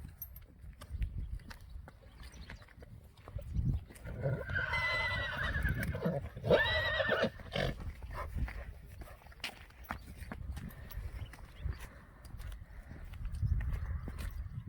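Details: Friesian horse whinnying as the horses of a herd are brought in, a lame horse named Johnny among them; a wavering harmonic neigh of about three seconds rises and falls midway, with hoof clops and rustling throughout.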